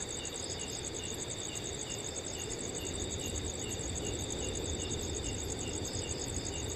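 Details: Night chorus of crickets in a peaceful forest on a cool summer night: piercing sustained trill at the top, lower beaded chirps pulsing almost three times each second, and a low steady wind rustle beneath.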